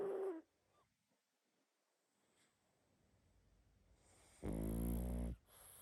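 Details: Sleeping pug snoring heavily: a short snort at the start, a quiet pause, then one loud, buzzy, rattling snore near the end.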